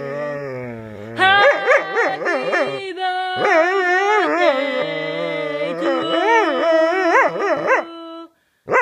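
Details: Pet dog howling along as a person sings Happy Birthday: wavering, sliding howls with rich harmonics, rising and falling in pitch over several seconds, the human singing voice loud alongside.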